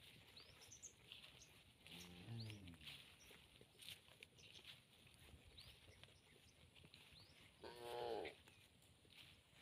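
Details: Tame cattle eating in a green field; two low, harmonic, drawn-out moos, one near two seconds and a brighter one near eight seconds, with thin high bird chirps early on and soft outdoor background noise.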